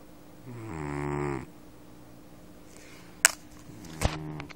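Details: A sleeping house cat gives one deep, grating snore described as manlike, rising in tone for about a second, followed by quiet breathing and two sharp clicks or knocks nearby.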